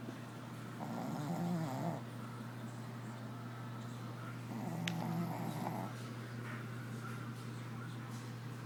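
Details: Snoring Shih Tzu asleep indoors, two slow, raspy snore breaths about three seconds apart, each a rough, throaty rumble, with a constant low hum in the background.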